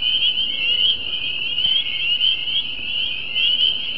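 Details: Dense chorus of spring peepers at a creek and pond in New Jersey, countless high, piercing peeps merging into a steady shrill ring.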